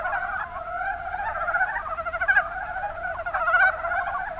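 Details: Short burst of a Mountain brown frog chorus, Rana ornativentris, recorded in the Kuma Basin, Kumamoto, Japan: dense, fast-pulsed croaks from many frogs overlapping, with a couple of louder, nearer calls near the middle and end.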